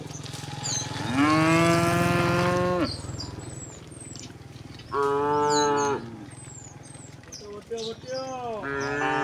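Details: Domestic cows and oxen mooing while walking leisurely in a large herd toward their resting place along a rural road; long harmonic moos of one to two seconds, then shorter ones, with high chirping birdsong in the background.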